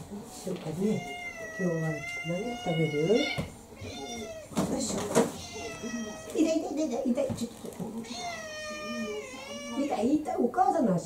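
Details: Orange tabby mixed-breed house cat, about four years old, pestering indoors for dinner: long, drawn-out, wavering meows repeated three times over several seconds, with a woman talking in Japanese between and over the calls.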